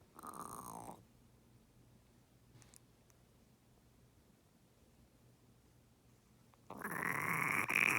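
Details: A sick female turtle, suspected pneumonia, on antibiotic injections and unable to submerge, gasps for breath with mouth open, giving two harsh, wheezy croaking gasps separated by several seconds of quiet.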